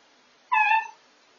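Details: Belle, a pregnant female Miniature Dachshund, at night before whelping, lying in a makeshift whelping box in a laundry room. She gives a single short whine, a clear tonal cry lasting about half a second, in a silent room.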